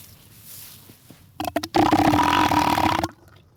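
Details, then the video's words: Elephant seal call: a few sharp knocking sounds, then a loud, rasping, pulsed bellow of roughly a second and a half that stops suddenly. Faint background noise comes before it. "What does an Elephant Seal sound like?"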